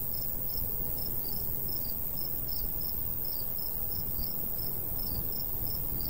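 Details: More than one cricket chirps in summertime countryside beside golden wheat, with bright, clipped pulses repeating rapidly and sometimes doubling where callers overlap, over a light, breezy low hiss.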